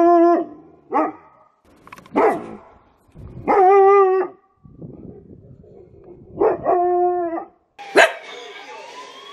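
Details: Dog from a compilation of funny, cute dog barks, giving drawn-out tonal howling barks with rich harmonics in bursts about a second apart, separated by short silences and a scratchy noisy passage, ending with a sharp yelp.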